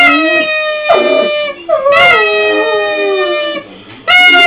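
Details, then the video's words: A pet dog doing a goofy howl on cue, likened to a moose; long wavering tones with many stacked harmonics, sliding up and down, broken by short breaths, with a person's voice nearby. "Moose Howl"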